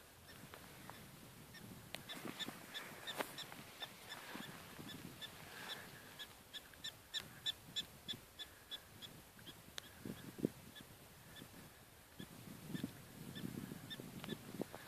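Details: Several prairie dogs call in Badlands National Park, South Dakota, USA, on October 12, 2013, giving rapid, overlapping short sharp chirps, about three a second, broken by clicks and gusts of low rumbling noise.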